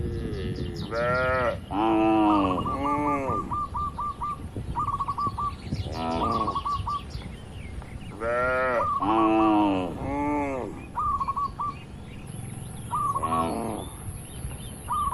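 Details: Cattle in a large farm pen moo in short, falling calls, while a repeated bright chirping sound, possibly a bird, runs throughout between the moos.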